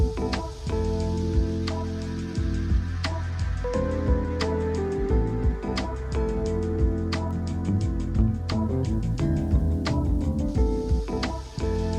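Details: Soft instrumental music with steady low tones and light plucked notes, with no animal calls heard.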